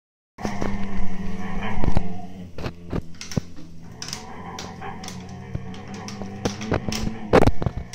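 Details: Two Siberian Husky puppies, Turbo and Choco, 8-9 months old, growl while arguing over an empty food bag indoors; a low, steady, droning growl runs under sharp crinkling and rustling of the bag.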